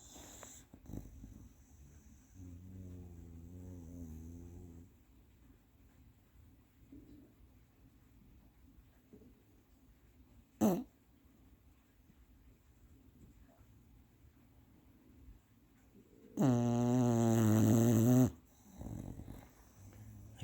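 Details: Napping female bulldog snoring deeply indoors: a soft wavering breath early on, a brief sharp snort near eleven seconds, then a long loud grinding snore lasting about two seconds.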